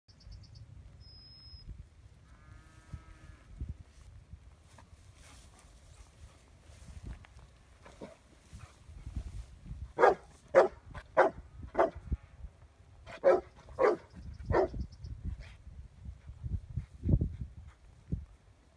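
A Rottweiler barks in a burst of deep, harsh, rapid barks after a quieter start.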